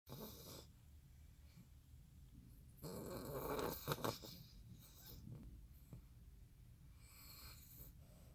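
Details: Pet dog snoring hard indoors, worn out after a trip to San Francisco; rough, rasping breaths repeated in a loose rhythm, with a louder noisy stretch near the middle and quiet room hum between breaths.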